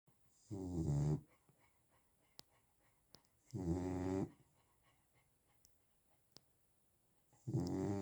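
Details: Chow Chow dog snoring while sleeping: three rough, harmonic-rich snores roughly three seconds apart, each lasting under a second, with near silence and a few faint ticks between breaths.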